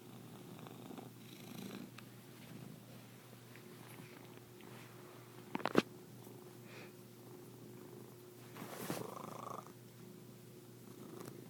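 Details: A cat makes an unusually strange purr: a soft, low, steady rumble running through the whole recording, with a few sharp clicks and a brief louder rustle near the end.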